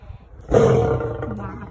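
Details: A lion growls at Siberian tigers, a deep, rough growl that swells suddenly and then rumbles away.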